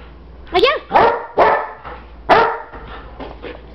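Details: Old English Sheepdog playing with its owner; four loud, rough barks in quick succession over about two seconds, followed by softer yips, with a person speaking Spanish nearby.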